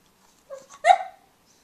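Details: Tobey, a pug puppy with his bone, makes a short whiny yelp: a soft lead-in note, then a higher, strained squeal that slides down and fades.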